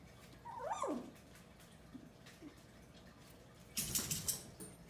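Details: A 16-day-old Goldendoodle puppy in Idaho, eyes just opening and starting to walk, explore and play, gives a thin, squeaky yelp that swoops up and down, an early attempt at barking; soft squeaks follow, then rustling and scuffling.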